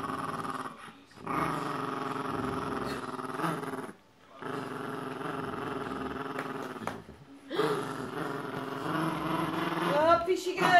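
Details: A Boxer and a Jack Russell Terrier fight over a penguin toy in a tug of war at home; steady rumbling growls in three long stretches split by short silences, ending with a woman's voice.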